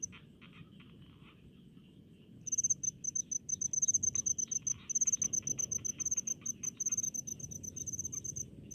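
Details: Cricket in rice fields, silent at first while a lower, softer insect trill and low rumble fill the air, then from about two and a half seconds breaking into sharp, high, pulsed chirps in quick clusters.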